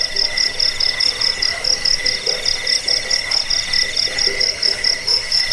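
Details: Cricket chirping, meant for scaring off rats, helping sleep and tutoring caged songbirds; shrill, bright pulsed trill repeating in quick bursts a little over twice each second, layered with a softer lower buzzing band, unbroken.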